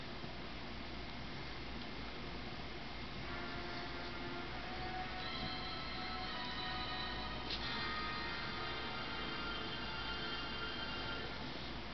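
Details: Indoor television or music sound with steady tones over a constant hiss carries on throughout, and no animal voice stands out.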